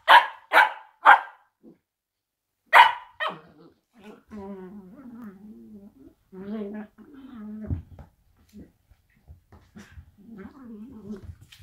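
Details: Two blue roan working cocker spaniels play fighting indoors: a quick run of three sharp, loud barks, one more bark near three seconds, then a longer low, wavering, voiced grumble that rises and falls in uneven bursts until the end.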